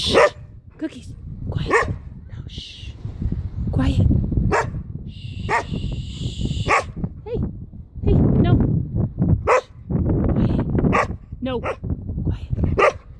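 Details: Standard Poodle in a continental clip barking repeatedly as its owner scolds and shushes it: many short, sharp barks scattered over a low rumble, with long hissing shushes and spoken commands in between.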